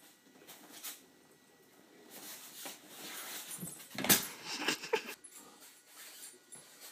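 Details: Tamaskan dog playing indoors with a 15-week-old Alaskan Noble Companion Dog; scattered short whiny, breathy yips and grumbles in irregular bursts, with rustling and scuffling from the play between the two dogs.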